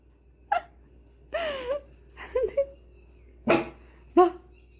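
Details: Pet dog responding to rice cooking with a run of tonal whines and yelps that bend up and down, five uneven bursts in under five seconds, over a constant low hum.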